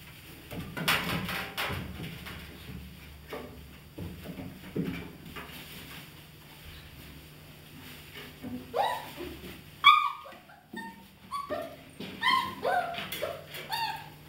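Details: German Shepherd Dog puppies, 31 days old, from the A litter of the "von der Edermündung" kennel: short, high harmonic whines and yelps cluster in the second half, rising and falling. Indoor rustling and knocks fill the first part.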